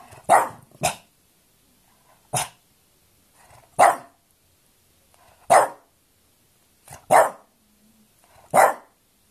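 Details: French Bulldog barking in a quarrel: eight sharp barks in about nine seconds, some in quick pairs, with near silence between them.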